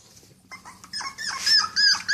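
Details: Cocker Spaniel puppies taken outside for the first time; short high whimpers and squeaky whines that grow louder and more tonal toward the end, with a person talking quietly in the background.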